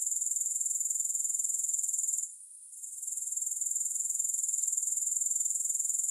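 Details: Shrill, high-pitched grasshopper trill pulsing quickly, dropping out briefly for about half a second in the middle before resuming at full strength.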